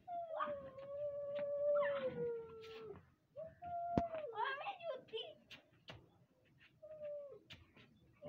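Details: Puppy howling from Siberian Husky puppies in Lahore, Pakistan: a long, level wail that sags slowly lower over about three seconds, then shorter broken howls and yelps, with human voices and occasional clicks in the background.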